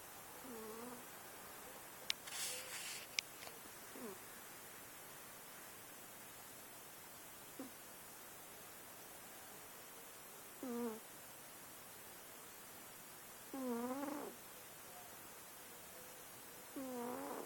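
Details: Pet cat snoring while asleep indoors; soft whistled, nasal tones that rise and fall, recurring roughly every three seconds with quiet breathing between, plus a brief clatter early on.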